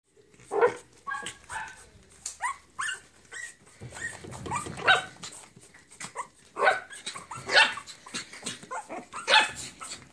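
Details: Female Pomeranian (Volpino di Pomerania/Spitz) puppies give high-pitched yapping, short sharp yips and squeaky little barks at irregular intervals, sometimes overlapping as if several pups call together.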